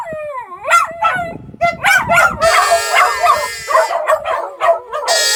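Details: Dogs howling in chorus, with quavering, tonal notes that bend up and down and break into rapid yips and whining cries. Several voices overlap and keep a busy, irregular rhythm throughout.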